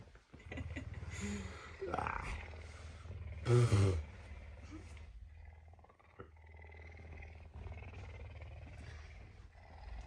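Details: Early on a Tuesday morning, a hungry pet puma purrs on the bed, wanting breakfast. The low, rhythmic purr is steady, with a man speaking, a sharp loud rustle near the middle, and quieter rumbling after.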